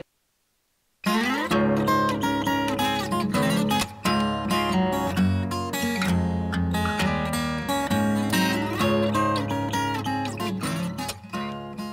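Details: After a second of silence, acoustic guitar music plays, strummed and plucked, with no animal sound.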